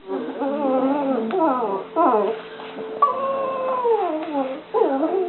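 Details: Two dogs playing together, giving drawn-out whining, howl-like calls in harmonic tones that slide up and down. Each call lasts from half a second to over a second. Pitch dips between calls, and they continue almost without a break.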